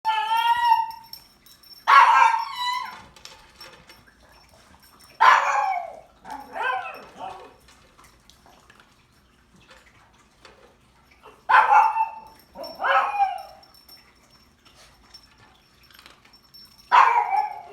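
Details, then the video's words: Pet pug making weird barking noises indoors: hoarse, wheezy yelping barks with a rising then falling pitch, arriving in spaced bursts of one or two every few seconds, with a faint steady high whine in the background. "Pug makes weird barking noises"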